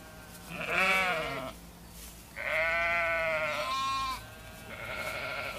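A sheep bleats in wavering, nasal baas, several in quick succession.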